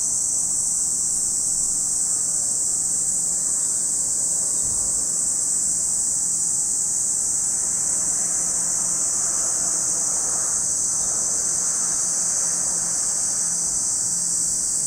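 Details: Lake Kamo, Sado City, Niigata Prefecture, Japan, where cicadas keep up an even, piercing high buzz for the whole stretch, with faint low hum and a brief thump partway through.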